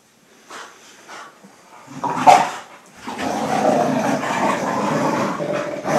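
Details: Two dogs, a Pit Bull and a German Short-haired Pointer, play tug of war. After quiet snuffling comes a loud snarl, then steady, harsh, low rumbling growls that continue to the end.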